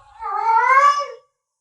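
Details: Pet cat giving a single clear meow under a second long, gently rising in pitch before fading out into silence.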